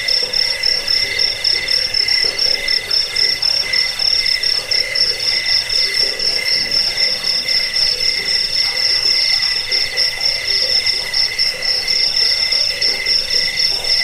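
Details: Crickets sung for rat repelling, sleep and bird song training: unbroken piercing chirps stacked in several high tones, rapidly pulsed at a fairly even rhythm, over a quiet lower throbbing layer.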